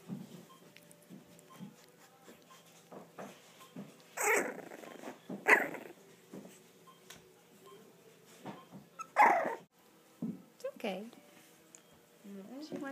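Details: Four-week-old English Bulldog puppies, away from their mother for the first time and starting to "talk back," give short squeaky whimpers and yelps while a person talks softly nearby.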